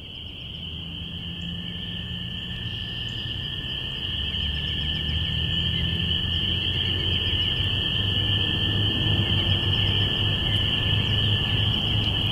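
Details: Binaural recording of a spring peeper chorus on April 5, 2017, at the beginning of spring. Dense, unbroken high peeping merges into a steady shrill band, with a fainter lower steady tone and a low rumble that swells slightly after a few seconds.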